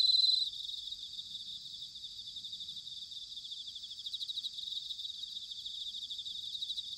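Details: Autumn chorus of bell crickets recorded at Sanuki, Chiba, Japan: one brief loud high ring at the start, then a softer, continuous shimmering trill of many insects with rapid pulsing.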